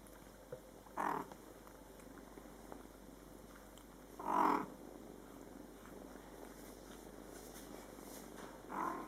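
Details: Mother cat Coco talking to her Scottish Fold kittens, born July 22, 2012, in their first month of life; three separate meows spaced about three to four seconds apart over a quiet indoor background.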